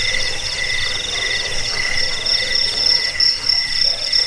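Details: Chirping crickets, in a recording meant to drive off rats, lull to sleep and tutor birds: dense overlapping pulsed trills at several high pitches running without pause.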